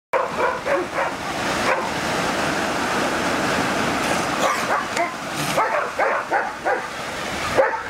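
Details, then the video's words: A dog barks back and forth with a sea lion in a barking contest. Rough, mid-pitched barks come in quick irregular volleys over a steady wash of outdoor noise. "Dog Vs. Sea Lion Bark Battle"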